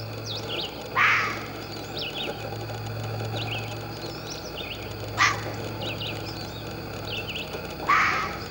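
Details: A fox barking: three short, harsh, hoarse barks spaced a few seconds apart, standing out over steady chirping birdsong and a low constant hum.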